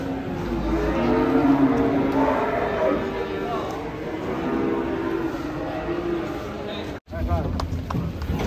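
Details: Raging cattle bellowing: a sustained low moo swells early on, then fades under chatter from people nearby, a vehicle, and a brief sharp break near the end.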